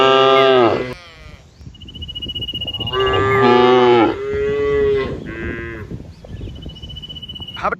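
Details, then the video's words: Cows grazing together in lush open fields. A short moo opens, then a long moo and a wavering second moo follow. A shorter low moo comes after them, with a thin, high, steady whistle in the gaps. "Funny Cow Sounds Cows Walking Through Green Fields - the sound of cows in the middle of the fields"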